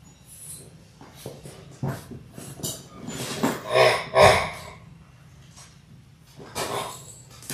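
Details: Labrador Retriever puppies, a litter of six born January 18, 2022, in their sixth week on a live puppy cam on February 28: two short, low grunting whimpers midway, amid snuffling breaths and soft rustling and clicking.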